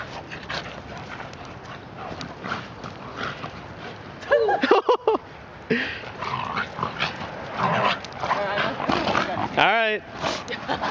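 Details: During play between Achilles, a 12-month-old German Shepherd, and Hilo, a 14-month-old Shiba Inu, a dog gives a couple of short high whines, the clearest near the end, while people talk throughout and scuffling noises fill the gaps.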